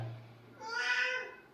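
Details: Domestic cat described as demanding its rights, giving a single short meow with a clear harmonic stack, rising then falling over about half a second, in a quiet indoor room.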